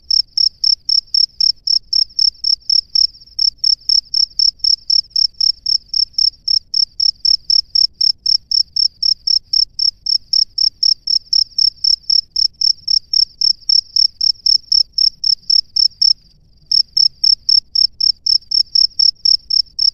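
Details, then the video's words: Loud, close male cricket calling from its nest for a female: rapid, evenly spaced shrill chirps nearly four per second, broken by one short gap near sixteen seconds, with little else audible. "SUARA JANGKRIK JANTAN DI SARANGNYA MEMANGGIL JANGKRIK BETINA"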